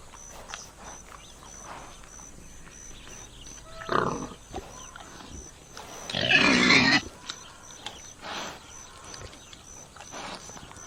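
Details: Common warthog in nature: a faint grunt near four seconds, then a loud harsh broadband squeal-grunt lasting about a second around six seconds, with scattered softer snorts against a quiet outdoor background.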